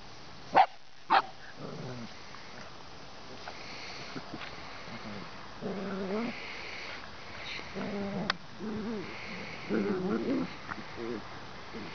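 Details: Bernese Mountain Dog puppies give soft, rising whines and short yips at irregular intervals over a steady background hiss, with two sharp clicks near the start.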